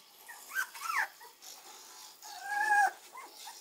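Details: Young Shiba Inu puppy named Akira, aged five days to six weeks, gives two thin high whines early, then a longer steady whine later, with soft rustling between.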